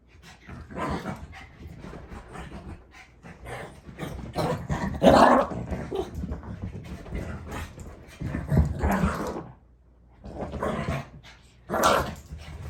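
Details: Mitzi, a pet dog, barks and growls in uneven, harsh bursts with two brief pauses near the middle and toward the end.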